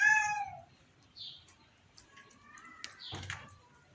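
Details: A sick house cat gives one short, clear meow that falls away within half a second. Faint soft rustles and a brief click follow in an otherwise quiet room.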